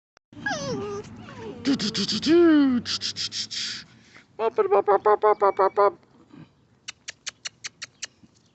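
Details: Bracco Italiano and Vizsla puppies play-fighting in a rowdy rumble, one pup named Yellow climbing over the others. Squealing whines rise and fall, then come rapid bursts of short, harsh yelps and a string of sharp squeaks, with a person talking over them.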